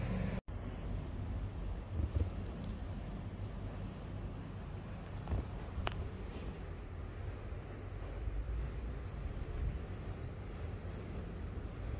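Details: Continuous low wind and traffic-like rumble with a few sharp clicks, and no meow or other animal sound present.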